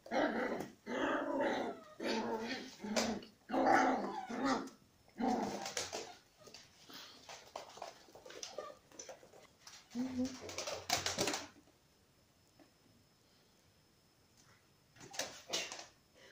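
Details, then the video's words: Young dachshund growling while attacking a corgi indoors; bursts of rough, snarling growls and yaps in the first half, then a quiet gap before two short final outbursts. "Нападение таксеныша на корги"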